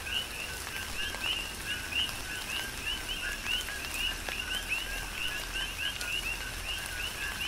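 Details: ['Coqui frogs on the Big Island of Hawaii calling through a tropical rain shower; bright upward-jumping two-note chirps come in quick succession from several frogs, loud against a backdrop of falling rain and dripping.']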